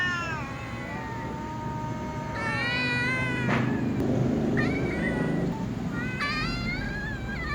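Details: Little cats giving sleepy meows before a meal alongside other cats; long drawn-out harmonic meows, several overlapping and wavering in pitch, with a low hum underneath.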